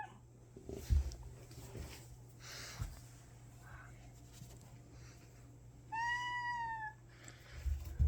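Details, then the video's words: House cat meowing indoors as it approaches before attacking; a single drawn-out meow lasting about a second comes late, amid knocks, handling noise and a constant low hum. "고양이 래미공쥬가 우는 이유는?!! (다가와서 이렇게 울다 공격하는데.. 이유 아시는분..?!)"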